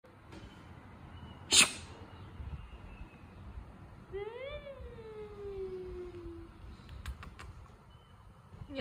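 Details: Cat acting cute after losing a fight: a single drawn-out meow starting high and sliding gradually lower with a rich harmonic stack, preceded by a sharp sneeze-like burst and followed by faint clicks over quiet room hiss.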